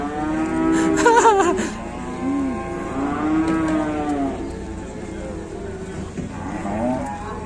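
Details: Cow called fierce and noisy, Indonesia: a series of moos, one sharply wavering and loud, then several shorter arching calls spaced a second or two apart, over low steady hum.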